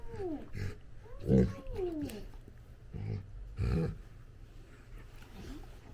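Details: A female Labrador puppy playing with her dad gives sliding, whiny yelps mixed with short, low growly grunts, likened to burping and raspberries, over music and talk.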